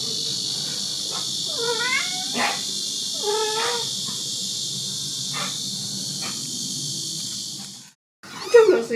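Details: Kitten and mother cat at a rural house in Dorae village, South Korea, wandering into filming: a few arched, rising-then-falling meows in the first seconds over a steady high insect drone, then a brief silence and one louder cry at the end.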